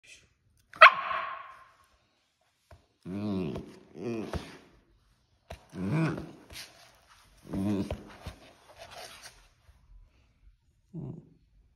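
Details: Husky puppy vocalizing to get attention, wanting its owner to stop working out; a sharp yelp followed by a series of low, drawn-out, talking-like howls and grumbles in short bursts, indoors with quiet pauses between.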